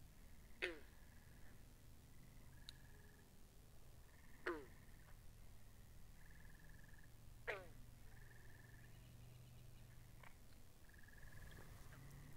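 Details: Pond frogs captured with binaural microphones: loud, snapping calls that drop steeply in pitch, repeated every three to four seconds, with fainter clicks, layered over steady pulsed buzzing trills and a low hum.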